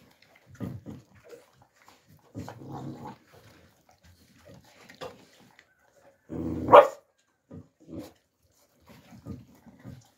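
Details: Young Alabai puppies in winter 2022 making short, scattered grunts and whines, with one louder yelping squeal near the middle among quiet gaps.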